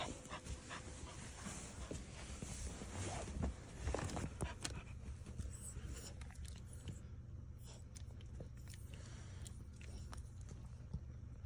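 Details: Moka, a Pomapoo dog (Pomeranian and Toy Poodle mix), sneezes indoors before walking off to its bed. Sharp, breathy broadband bursts cluster near the middle, with panting-like huffs and faint room noise throughout.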